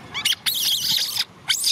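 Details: ['Orphan baby macaque Cola screams because she wants to ride a bike: three shrill, harsh, piercing bursts, a short one, then a long sustained scream of almost a second, then another rising shriek.']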